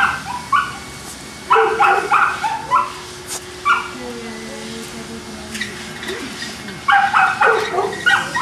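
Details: Kennel Boston Terriers in Jamundí, Cali, Colombia, giving clusters of shrill yaps at the start and again near the end. In between comes a quieter stretch with a drawn-out, wavering whine and a low background hum.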